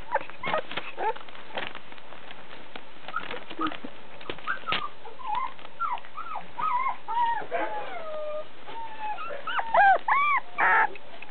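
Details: Puppy offered by a breeder, filmed on 22 February, with scattered thumps and handling noise at first, then short bent whimpers and a few drawn-out whining wails toward the end.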